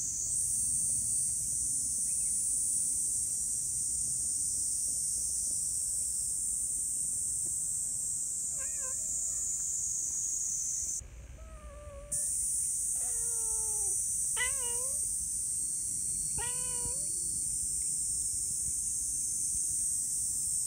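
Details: Friendly community cats lingering together after a meal give several short meows around the middle of the clip, each bending up and then down, over a loud, steady high cicada drone.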